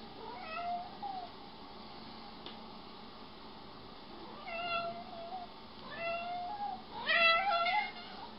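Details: Jealous domestic cat among several house cats in a home compilation; a string of wavering, rising-then-falling meows, four or five in all, growing louder and more insistent toward the end, with a woman talking softly between them.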